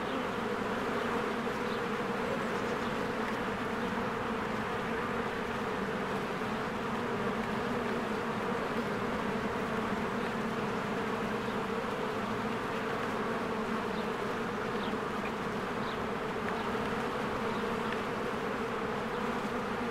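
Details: Spring beehive with many honeybees working and flying around the entrance, giving a constant rich buzz that holds steady for the whole stretch, lightly dotted with distant small bird notes.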